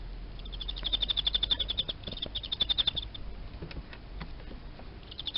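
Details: Emma field cricket, kept in captivity as live food, chirping: bursts of rapid, evenly pulsed high chirps around 4k, repeated in short trains with brief pauses, over low background hum.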